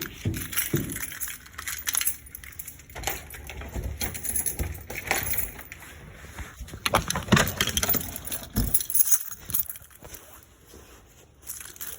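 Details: Gusting wind and snowstorm noise outdoors at night, with clinking metal and scattered thumps, and no animal voice heard.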